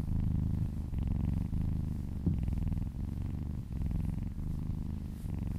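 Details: Happy cat purring while being massaged indoors: a steady low rumbling purr in pulses, each breath cycle lasting about half a second, with brief dips between strokes and no other sounds.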